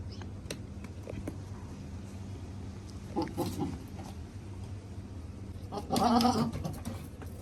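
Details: Goat on a farm during the seasonal breeding time: a short nasal bleat near the middle and a louder wavering bleat later, over a steady low mechanical hum with faint scattered clicks.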